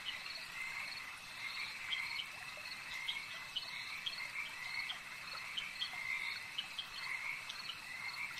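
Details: Frogs at a lake keep up an unbroken chorus of quick, rattling croaks at a fairly high pitch, many voices overlapping over a steady, buzzing ambient hum.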